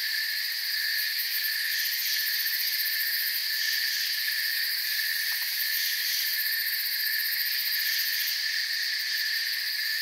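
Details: Crickets chirping together in a forest, forming a continuous high-pitched shimmering drone in layered bands. The top layer pulses quickly, and one brief faint click breaks in midway. Nothing else is audible.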